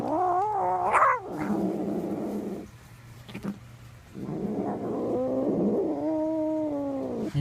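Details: A male house cat makes odd noises after being given a piece of bread: wavering, moaning yowls mixed with a growly rumble, a short pause, then more drawn-out moaning tones, recorded indoors.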